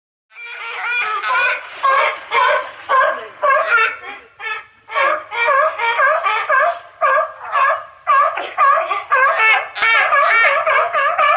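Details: Seals and sea lions calling in a rapid series of harsh, harmonic bark-like bursts, roughly two per second, with several voices overlapping throughout.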